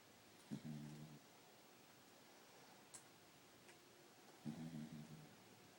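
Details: A tired Corgi sleeps and snores with low, rumbling breaths about four seconds apart.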